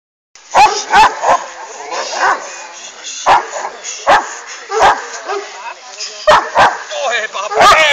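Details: Hovawart named Jamaica Kralovska straz, a female dog, giving short sharp barks in irregular bursts, several close together then single ones, with a person talking and praising her between barks.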